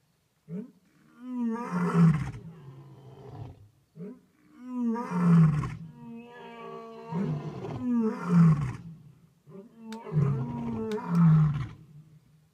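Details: Lions roaring at night at Talamati in Kruger National Park, South Africa: deep, drawn-out moaning roars that swell and fade in a rough series.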